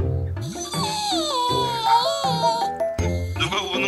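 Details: Cheerful instrumental music plays throughout, with a gliding melody over bouncing low notes. No bark, whine or other animal sound can be picked out.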